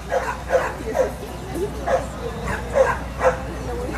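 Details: Black Miniature Schnauzer at Inca's Dog Show 2013: sharp, short barks come in quick bursts, roughly two per second, with brief pauses between, over a low steady hum and murmuring crowd voices.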